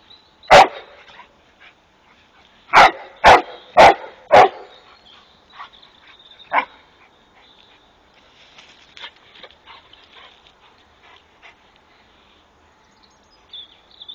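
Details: Rhodesian Ridgeback named Jasper playing with the neighbours' peacock; a single loud bark, then a quick run of four sharp barks, followed by scattered softer sounds and quiet background.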